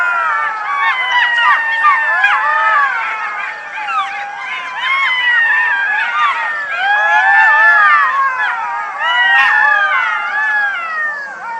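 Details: A chorus of golden jackals (Canis aureus) howls together in high, wavering, overlapping wails and yips; Golden jackal.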